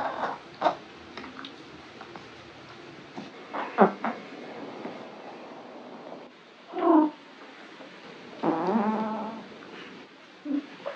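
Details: Foxie, an orange Maine Coon relaxing at home, gives odd sounds while stretching: a short harmonic chirp near seven seconds, then a longer warbling trill-like call near nine seconds, with soft clicks and rustling earlier and a brief squeak at the end.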